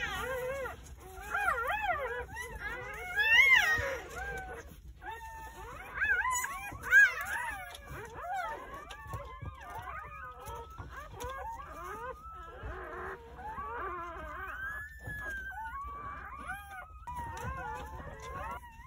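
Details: Newborn Jindo puppies from a nine-pup New Year's Day birth at a countryside home cry continuously: wobbling, whining squeals and short howl-like wails from several pups, loudest early on, then steadier thinner whimpers.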